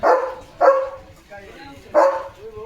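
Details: Leo the German Shepherd barks while watching a tractor on an evening sunset walk on a farm: three loud, punchy barks, the first two close together and the third after a pause of more than a second.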